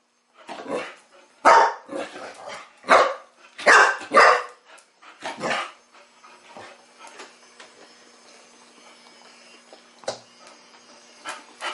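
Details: Teething Chow Chow puppy playing for the first time with a mechanical ball toy, giving a run of sharp yappy barks in the first five seconds, then a mechanical whir from the toy with a single bark later.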